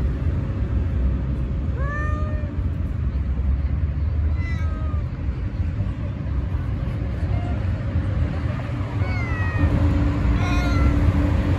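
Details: Stray cat meowing repeatedly: four short, clear meows spread over about nine seconds, some falling in pitch, others rising then dipping, with constant low rumbling background noise and a steady faint hum.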